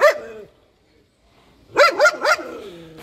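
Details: Karst Shepherd dog barking: one sharp bark, a pause of over a second, then three quick barks in a row, each with a rising-falling yelp-like pitch, fading into a brief whine.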